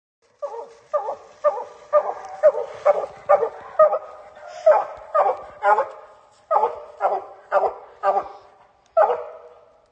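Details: Treeing Walker Coonhound. A Treeing Walker Coonhound gives a long series of full, ringing barks with rich harmonics, each sharp at the start and trailing off. The barks come roughly twice a second with a couple of short pauses, over a quiet background.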